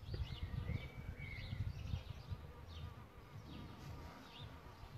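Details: Close, deep buzzing of solitary bees nesting in a bug hotel, loudest in the first two seconds then easing off, while soft bird chirps sound in the distance.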